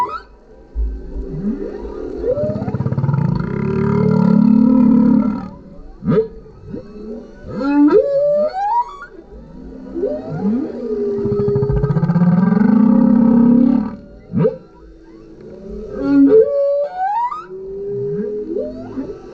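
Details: A male humpback whale (Megaptera novaeangliae) sings underneath a kayak, mixing long low moans with rising and falling whoops and squeals.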